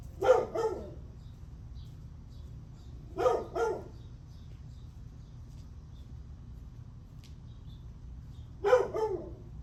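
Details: Barking dog heard at 8:38 am on July 9, giving three bursts of two rapid barks each, separated by long pauses of three to five seconds, against a quiet low drone.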